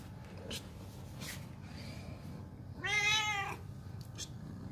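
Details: Domestic cat meowing because it doesn't want to be left behind: a single clear, tonal meow rising then falling, lasting under a second, after some quiet rustling and taps in a room with low background hum.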